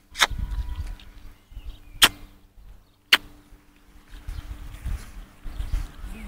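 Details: Outdoors, three loud sharp clicks about a second apart over a low engine-like rumble and faint handling noise, with no animal voice heard.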